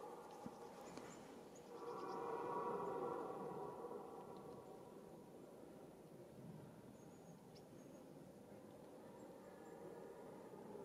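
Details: Red deer in the rut, the mating season, giving a drawn-out, hoarse, harmonic roar of about two seconds that swells and then tails off into a lower rumbling, over a steady natural background.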